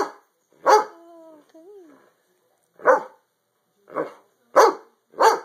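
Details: Pet dogs being goofy at home give loud, sharp barks in uneven bursts, with a short, smooth, tonal whine-like sound between the first barks and quiet gaps in between.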